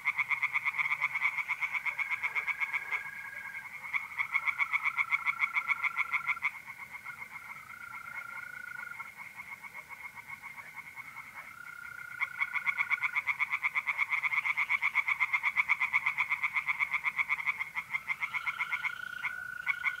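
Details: Tree frogs singing in a pond on an April night in north-east Italy: a dense chorus of rapid pulsed croaks, about four per second, overlapping callers, with long steady trills of mole crickets running beneath.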